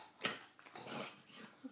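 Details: Indoor English bulldog chatting: a sharp snort-like burst, then a drawn-out, breathy, whiny grumble rising and falling over about a second, ending with a brief squeak.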